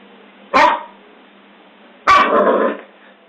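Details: Two harsh barks from a Scottish Terrier about one and a half seconds apart, the second longer and trailing into a rough, growly tail, set against faint steady background hiss.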